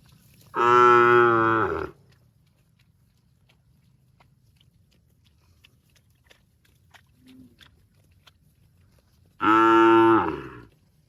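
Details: Cow mooing, said to be calling its extended family: two loud, long harmonic moos, each over a second, about eight seconds apart, with a faint low grunt between them and quiet background otherwise.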